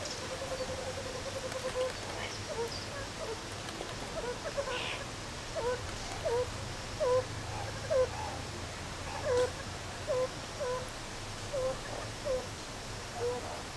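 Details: Meerkats at Zoo Rostock, Germany, playing and relaxing in July 2014: short, low, downward-sliding notes repeat roughly once a second, growing louder and more frequent in the second half over a steady background hum.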